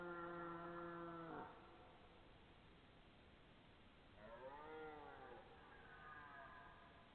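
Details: Red deer belling, recorded 12 September 2014, perhaps two stags: a steady harmonic bellow ending in an abrupt drop, a quiet gap, then an arching, wavering call that fades into a softer tail.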